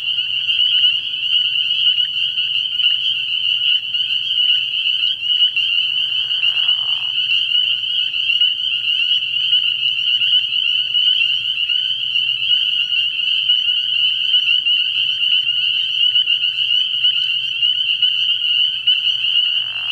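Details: Spring peepers calling in a dense chorus at a frog pond at night early in the year: a steady wall of high, shrill peeps overlapping continuously, with a low hum underneath and a brief lower buzzy call near seven seconds.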